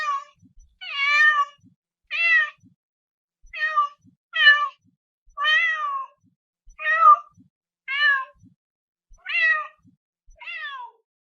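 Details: Real domestic cat recorded in high quality, meowing in drawn-out, slightly nasal wails that bend up then down, spaced about a second apart with occasional shorter double calls and a quiet background.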